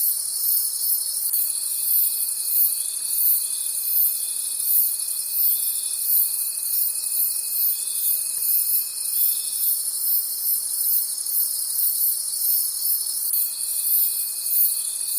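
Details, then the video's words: Crickets calling at night in a forest: a shrill, high chorus pulsing about three times a second over a steady ringing hum, with a lower pure tone that cuts out briefly and returns. "Forest Sounds and Cricket Conversations at Night"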